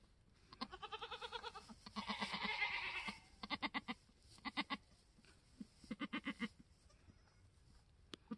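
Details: Homestead-born F4 mini Alpine buckling, newborn on March 13, 2021, black with white frosted ears and nose. A quavering bleat and a longer harsh cry near the start, followed by bursts of rapid stuttering pulses.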